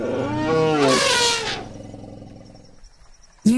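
An elephant gives a loud, brassy blast that rises, then fades over about two seconds.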